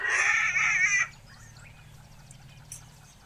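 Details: A struggling baby African elephant gives one harsh, shrill scream lasting about a second, then falls silent.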